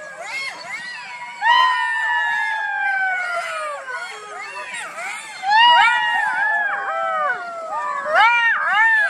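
A fox gives a run of high, wavering wails and yelps, some long and sliding downward, others short and arched.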